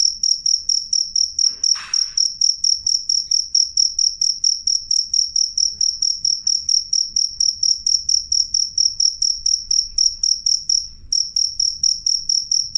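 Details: Loud, clear cricket chirps offered as a rat repellent: shrill high pulses repeated about twice a second, with a short break near eleven seconds and a brief knock early on.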